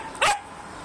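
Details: Twelve-week-old female Siberian Husky puppy trying to annoy an 11-year-old dog at home: a single short, sharp yipping bark with a bright harmonic tone, lasting a fraction of a second, over a faint steady background hum.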